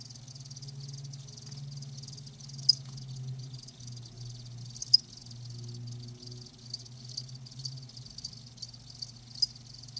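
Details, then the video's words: Several live crickets keep up a steady high-pitched chirring with occasional louder clicks about every two to three seconds, above a wavering low hum. "Live Crickets 60min "Natural Sound""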